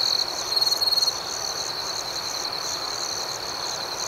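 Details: Crickets at night in a relaxation soundscape: a steady high trilling band with pulsed chirps, one louder nearby cricket chirping in a quick burst early on, over a dense background chorus of other insects.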